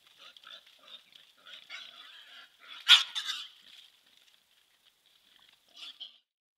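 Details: Central European wild boar wallowing in a forest spa in the Forest of Dean, Gloucestershire, caught on a trail camera; soft snuffling grunts, then a loud harsh squeal-like burst near the middle and a short grunt at the end.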